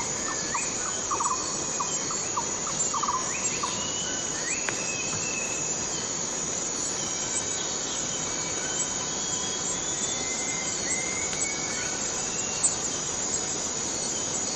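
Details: Constant piercing buzz of a cicada in the Borneo rainforest, with a burst of quick low pulsed notes in the first few seconds, then thin drawn-out whistles over the steady drone.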